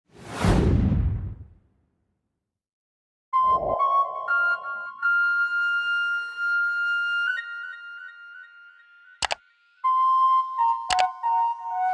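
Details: A swooshing sound effect opens, then sustained flute-like melodic music with held notes and a few sharp clicks fills the rest, with no animal voice heard.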